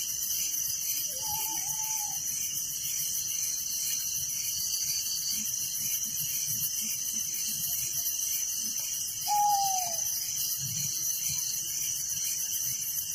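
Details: Night-time cricket chorus in a village, high and shimmering with a fast, even pulse throughout; two separate low whistled notes break in, the second dropping in pitch.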